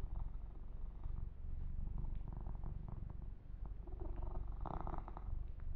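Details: Kitten Yumak purring under massage and fur grooming; a low, fast-throbbing purr continues throughout, with a brief brushy rubbing burst near the end.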